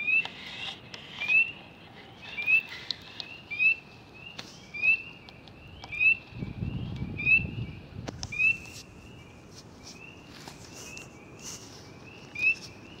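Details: A frog calling at close range, its vibrations rippling the water; repeated short tonal chirps with upswept tips, a few faint higher clicks and a brief low rumble in the background.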